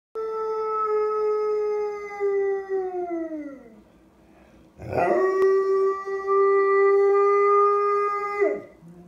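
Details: Afghan Hound howling indoors: two long, clear, harmonic howls, the first held steady then sliding down and fading, the second starting with a rough rise and then held level for over three seconds before dropping away.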